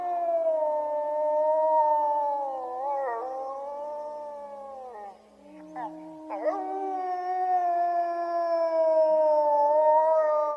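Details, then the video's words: Wild wolves in Iran howling together in a group: several long, smooth, sustained tones overlap in different pitches, wavering gently, dipping and breaking briefly mid-way before swelling back into a full, steady chorus. "The collective howl of wolves ,the howl of a lone wolf"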